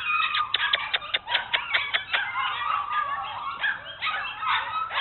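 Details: Rapid overlapping yips and squeals from Bernese Mountain Dogs Mrs. Red and Mr. Green of Cape Bernese Kennel during an exploration tour, several calls per second, loud and busy throughout with whiny tones mixed in.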